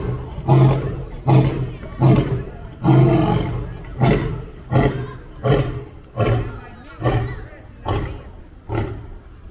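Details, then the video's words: Lion meeting another lion, giving a run of about eleven short, deep, breathy grunts spaced roughly a second apart, each a punchy burst that gradually weakens toward the end of the sequence. "A Lion's Roar, Have You Heard That?"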